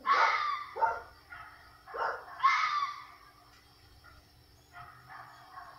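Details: At night in South Carolina, a red fox gives hoarse, harsh yells, loud at first, then fading to fainter calls.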